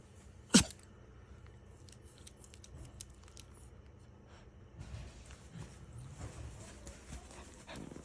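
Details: Pomapoo, a Pomeranian and toy poodle mix, indoors: one sharp, sudden sneeze near the start, then soft rustling and shuffling as the dog walks to its bed, with a steady low background hum.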